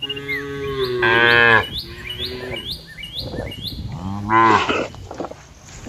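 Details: A cow in a herd grazing on open green fields gives two deep, drawn-out moos, with small birds chirping steadily in the background.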